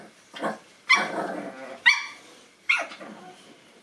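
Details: Nine-week-old Boston Terrier puppies meeting a new toy; several short, sharp puppy barks and yelps, each with a bright harmonic onset that fades into a growly tail, about four bursts in under four seconds.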